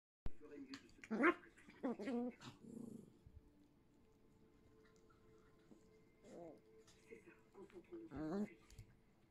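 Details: Thomas, a young Yorkshire Terrier pup, plays with his toy indoors alongside his mother, giving short throaty growls and harmonic whines in bursts, quiet gaps between, then more growl-whines near the end.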